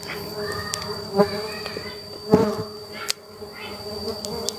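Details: Kept stingless bees (Laeviceps and Biroi x Laeviceps hybrid) swarm around an opened box at honey harvest, giving a continuous low hum with a thin high-pitched whine above, broken by sharp knocks and handling clicks.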